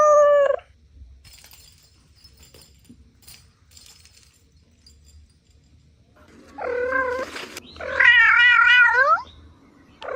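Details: Kittens at play on grass let out loud, drawn-out meows with a wavering, warbling tone. They come in bursts separated by quiet gaps, the longest lasting over a second, with faint rustling in between.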